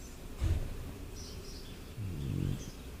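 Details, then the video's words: French Bulldog snoring while sleeping: two low, rough breathing rumbles, a short one then a longer drawn-out one, with faint bird chirps in the background. "French Bulldog sleeping and snoring"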